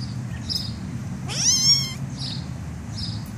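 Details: Black kitten meowing while tickled: one clear high squeaky meow that rises then levels off, lasting under a second, over scratchy rustling and a low background hum.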